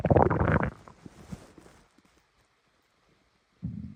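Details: A blue fox's stomach growls with a loud gurgling rumble, then a deep low grumble after a pause.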